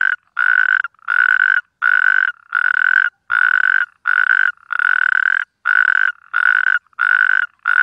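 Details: Natterjack toad giving its mating call: loud, rasping trilled bursts about half a second long, repeated steadily around ninety times a minute with short silent gaps, no other sounds.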